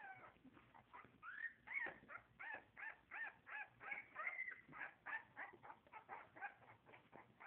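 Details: Puppies calling: a busy stream of high, thin whines and yelps, several overlapping voices, rising and falling quickly about three times a second, with no other clear sounds.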